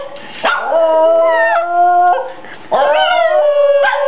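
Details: Two Basenjis howl together in a duet of drawn-out, wavering, yodel-like notes.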